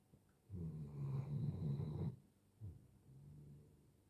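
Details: A five-year-old Doberman snoring in his sleep: a long, deep, rattling snore of about a second and a half, then a brief quieter snort and a faint trailing breath.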